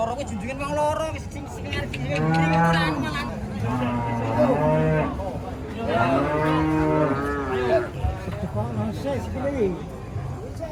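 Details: Emaciated cattle at market, nothing but skin and bones, giving repeated long, deep moos in overlapping rounds, some wavering and rising, with a low murmur of people behind.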